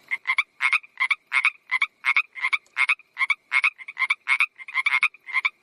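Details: Frog giving a steady run of short, raspy croaks, each a quick double pulse, repeated roughly three times per second throughout with no other sounds.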